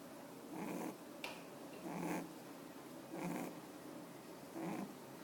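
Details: Panpu, a rabbit at the Usagi to Cafe, sleeping with its eyes open, snoring: soft, breathy rasping bursts roughly every second, each swelling and fading, evenly spaced over a quiet indoor background.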